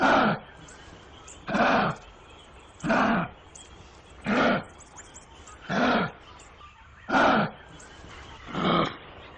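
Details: Kangaroo calling in a regular series of seven rough, hoarse, huffing bursts, evenly spaced about one and a half seconds apart, with low faint background noise between them.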